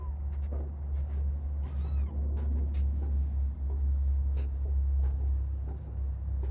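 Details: Kittens wandering away from their sibling pile to explore a playpen shared with sheep; a couple of thin, high curved mews rise and fall near the two-second mark over a loud steady low hum and scattered clicks and rustles.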